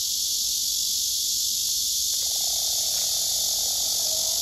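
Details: Several cicadas on neighbouring trees, males singing while rivals are shoved aside, recorded by phone: an unbroken high buzzing drone, with a faint lower tonal sound entering partway through.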